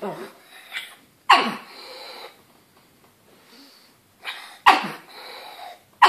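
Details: Pug barking at a banana, three sharp, sudden barks spaced over six seconds, each dropping quickly in pitch into a rough, breathy tail, with softer huffs between.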